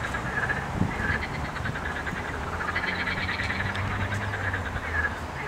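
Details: Frogs croaking on 8 May 2021: a dense, continuous chorus of rapid pulsed croaks, steady throughout, over a low rumbling background.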